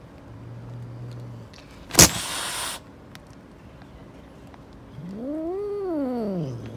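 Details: Street-living mother cat defending her kittens, angry and warning people away: after a sharp clatter, one long, loud, wavering meow that swells up and falls back down, with a low hum in the background.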